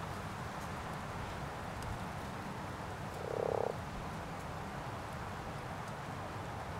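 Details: One short, grating, pulsed croak of a common frog rises out of steady background noise in a pond during spawning.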